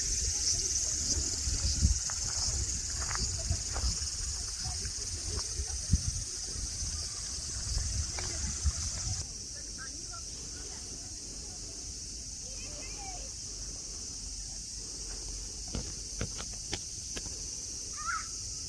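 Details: At Nara Park in Japan, cicadas keep up an even high-pitched hiss that softens about halfway through, while scattered taps, thuds and faint voices come and go underneath.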